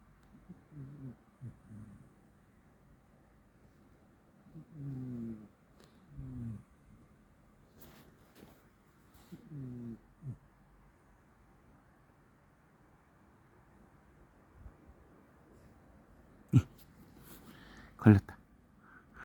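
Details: Sleeping Corgi snoring softly indoors, low breathy rasping snores in short clusters spaced a few seconds apart, quiet between, with a couple of sharp clicks or knocks near the end.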